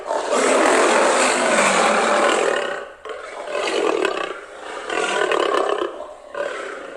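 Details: Loud, rasping lion roar lasting about three seconds, then three shorter grunting roars at roughly one-and-a-half-second intervals, all rough and broad in tone.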